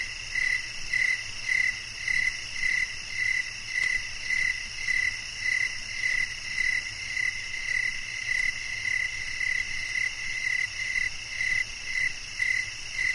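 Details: Rhythmic cricket chirping, evenly spaced clear pulses at about two a second, layered over a dense, steady high insect drone.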